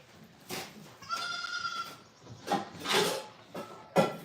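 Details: Domestic goats at The Willful Goat Farm during morning milking of Sage, with kids nearby: a drawn-out, wavering bleat lasting under a second, then a shorter bleat, amid clatter and rustling.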